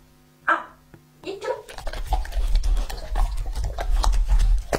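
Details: Lucky, a two-and-a-half-year-old male English-type Labrador Retriever, eats raw meat in an ASMR feeding recording. A short human voice counting down opens, then steady low, wet chewing and smacking noises follow without a break.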